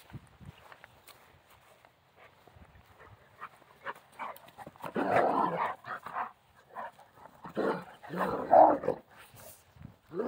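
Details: Central Asian Shepherd dog at play, giving rough, broadband growly barks and grumbles in bursts around the middle and end, with quieter snuffling and scuffling between.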